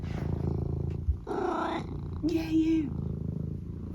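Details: A pet cat named Eric at breakfast time over a low purr: two short mid-pitched chirruping calls, the second a brief level trill, with a sharp knock early on.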